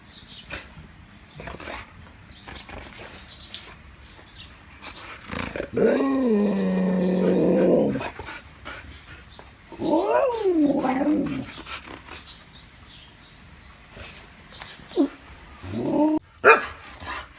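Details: Siberian Huskies given a snack, talking: a drawn-out, harmonic moaning vocalization lasting about two seconds, then a shorter wavering call that rises and falls, with soft clicks and brief yelps near the end.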